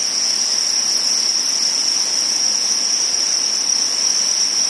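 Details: Crickets during spawning keep up a seamless high, thin trill, with faint flickers of brighter chirping laid over the unbroken tone.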